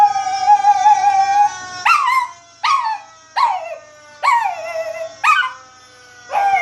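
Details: Pet Chihuahua Baby answering fire engine siren sound effects: a steady held tone opens, then a run of short rising-and-falling howls repeats roughly every second, with quiet gaps between them.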